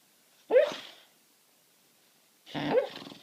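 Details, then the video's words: Sleeping pet dog on a sofa trying to bark at something in its sleep; two muffled, breathy woof-like sounds with a slight whine, about two seconds apart, in a quiet indoor room. "making weird sounds asleep"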